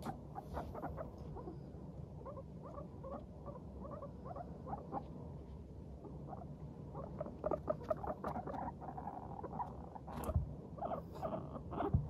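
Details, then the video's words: Cheerful guinea pigs walking lightly and chattering, a run of soft, short, low-pitched putts, sparse at first and then denser, with a few scattered rustling clicks. "軽快に歩く♪上機嫌なモルたちのお喋り Guinea pigs chatting【鳴き声】"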